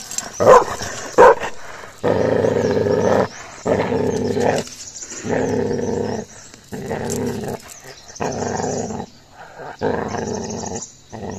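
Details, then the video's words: Aggressive Gaddi dog puppy attacking another dog: a couple of sharp clicks open the recording, then a run of rough, throaty growls in bursts of one to two seconds with brief gaps. "Puppy Aggression | Gaddi Dog Pe Attack Kiya | Dog Fight"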